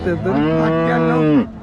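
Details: Jersey cow at a cattle market in Sangola, Solapur, Maharashtra, India, on 15 October 2023; one loud, steady, deep moo lasting about 1.4 seconds, rich in harmonics, dropping sharply in pitch at the end.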